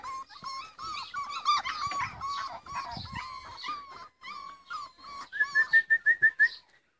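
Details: Rhodesian Ridgeback puppies playing: a busy run of high whining yelps and squeals, then a quick series of about eight sharp rising yips near the end.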